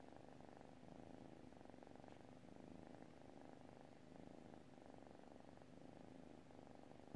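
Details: A cat purrs while asleep, a dense, steady low vibration rising and falling with each breath, with no other notable sounds.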